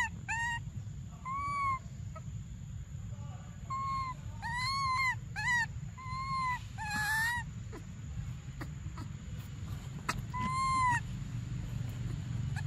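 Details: Briar, a baby monkey desperate for milk, gives a string of short arched whimpering cries, some paired or clustered, with quieter gaps and constant low-pitched background rumble.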